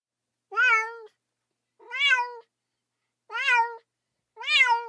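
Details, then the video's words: Sad baby cat calling for its mother with four drawn-out, wavering meows roughly every one and a half seconds, bright and harmonic-rich, with silence between cries. "외롭고 슬픈 아기 고양이 울음소리, 엄마 어딨어~(Sad baby cat sound)"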